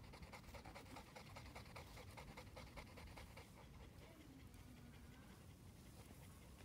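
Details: Caledonia, a two-year-old female North American Mastiff kept as a breeding dog, panting in quick, even breaths, each a soft breathy burst, under a constant low hiss of background noise.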